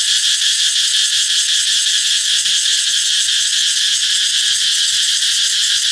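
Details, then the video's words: Cicadas singing as summer approaches, a loud continuous buzzing drone with bright bands near 2 and 3.5 kilohertz and steady level throughout, no other sounds standing out. "Ve sầu hót vang báo hiệu mùa hè sắp đến"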